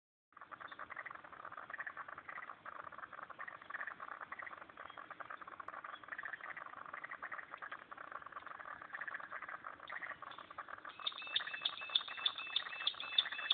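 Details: Frogs calling at a pond in Turner, ACT: a dense, steady chorus of rapid clicking and rattling pulses fills the clip, joined near the end by a higher, tonal, repeated call.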